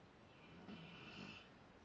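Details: A single drawn-out snore from Zakk the Rottweiler as he sleeps, a rough, wheezy breath with a thin whistling overtone lasting about a second.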